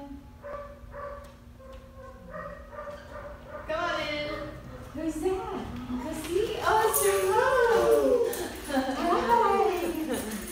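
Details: Honey, a Goldendoodle, reunites with her owners at a dog training company; whimpering cries and yips rise and grow louder and more excited, overlapped by people's excited talking and greetings.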